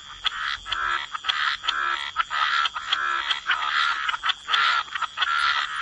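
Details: Wetland frogs croaking together at the waterside. The chorus is a near-continuous raspy din, with louder pulses standing out every fraction of a second and few pauses.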